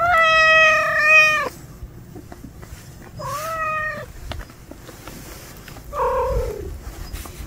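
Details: Starving stray cat calling outside: one long loud meow, then two shorter, softer meows a couple of seconds apart, the last one falling in pitch.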